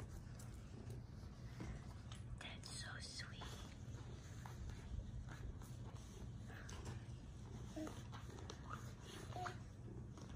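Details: Peaceful cat named Boba purring: a steady low rumbling pulse runs unbroken throughout, with faint whispering and small clicks and rustles above it.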